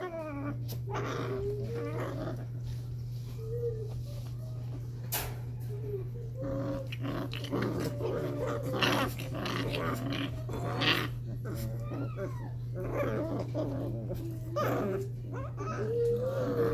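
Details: Cardigan Welsh Corgi puppies, five weeks old, playing together; scattered high squeaks, brief whines and soft growls among scuffling and clatter, with a person speaking at times and a constant low hum.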